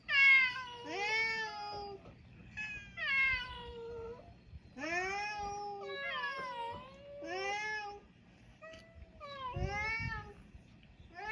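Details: Mixed-breed island cats on a Japanese cat island meowing in a busy run of about ten calls, some short and rising, others longer and falling, overlapping like several cats calling together.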